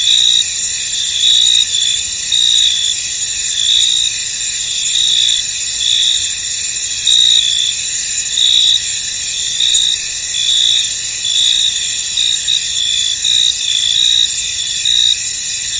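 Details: Steady high-pitched chirping of many crickets in a misty field, a layered shrill trill that pulses louder roughly once a second with no other distinct sounds.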